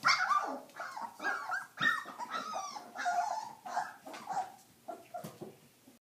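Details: Stabyhoun puppies at 22 days old; a jumble of overlapping squeaky whines, whimpers and small yelps from several pups, continuous and uneven.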